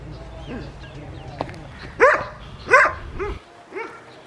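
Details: A West Highland White Terrier named Adriano in a village garden in South Punjab, Pakistan, on a winter morning. After a low rumbling start, four yappy barks ring out about half a second apart, the last ones softer.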